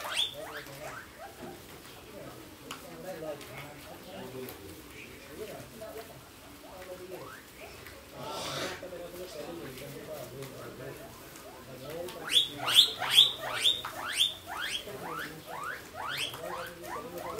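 A guinea pig gives a quick burst of thin, high squeaks over a background of clicks and rustling.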